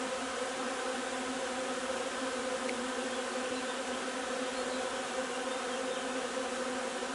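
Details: Honey bee hive during the linden nectar flow, 3 June: continuous buzzing drone at a steady pitch, with one faint brief click midway over the even hum.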